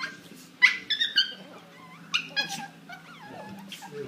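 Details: Pair of dogs in a savage fight: loud, strained, wavering yelps and whines tumble over one another, with rough growling noises and a low steady hum beneath.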